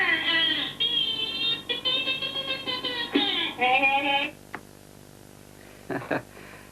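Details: In an early-1990s marine mammal documentary, a dolphin from the Lilly and Howe studies, kept in enclosed seaside pools and taught human language, makes squeaky, nasal, speech-like phrases in rhythmic bursts, mimicking human words.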